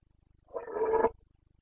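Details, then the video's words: Rutting Carpathian stag, a red deer of the Bucovina mountains, roaring in the breeding season (boncănit) on 29.09.2022: one strong, rough, throaty bellow lasting about half a second, rising then cut off, with a faint low hum behind. "Boncănit / Carpathian stag Breeding season"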